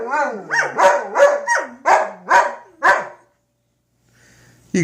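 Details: Two German Shepherds howling at tornado sirens during the weekly test: a quick series of about seven wavering, rising-and-falling howls, each roughly half a second long, over three seconds, followed by quiet with a faint low hum and a new sound at the end.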